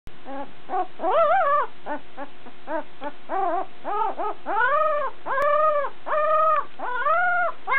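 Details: Newborn puppy, a brown male only a few days old and the biggest of a litter of eleven, giving repeated high arching whimpers and squeals, each rising then falling, roughly one per second, in a quiet room.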